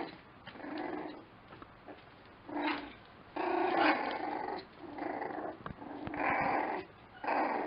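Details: Lakeland Terrier puppies giving a run of harmonic, whiny yelps and low growly grumbles in bursts about a second long, several overlapping, with brief quiet gaps between them, recorded indoors.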